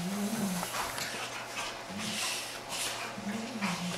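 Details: Two Giant Schnauzers playing indoors at home, including Ice, a 15-month-old female still very much a puppy, and Haanz: low drawn-out tonal whine-growls rising and falling, three separate bouts over four seconds, with soft scuffling between.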